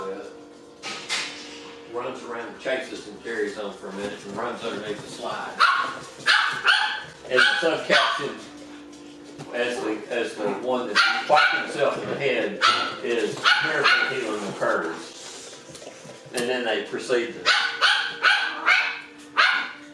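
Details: Six-week-old puppies from Rainy and Fancy play together in a pen, letting out dense, irregular bursts of high yapping barks and squealing yelps, with short lulls near five and sixteen seconds.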